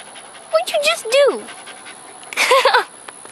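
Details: Female pet dog pulling a weird face, licking her lips and making odd noises; a few short whiny, wavering squeals that rise and fall, then a pause and another brief wavering whine burst.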